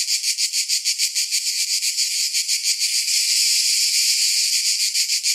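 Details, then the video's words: Summer chorus of cicadas: a throbbing high-pitched buzz beating roughly three times per second, blurring into an unbroken drone over the last couple of seconds. "Summer Cicadas Sound"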